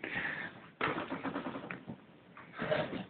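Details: Talkative male pet cat named Gussy, indoors in a small room, calling as if asking to be brushed: harsh, squawky, drawn-out calls in short bursts, with a person talking to him in between.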